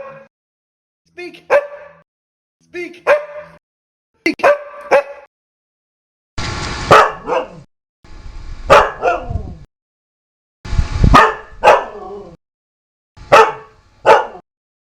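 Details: A dog barks repeatedly in short clipped bursts, often doubled, roughly every one and a half seconds across the stretch, with a few moments of broadband hiss behind some barks.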